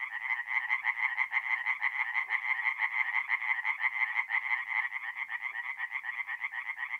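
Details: Tree frogs singing at night in a forest pond in mid-April, North-East Italy; a dense chorus of rapid, rasping pulses repeated about twice per second, steady and overlapping, with no other clear sounds.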